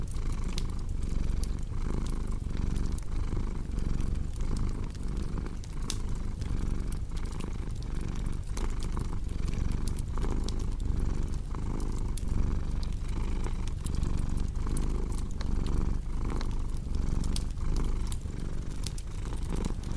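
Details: Long unbroken purr of a cat, a throaty low drone pulsing with each breath, set against constant crackling and popping of a fireplace.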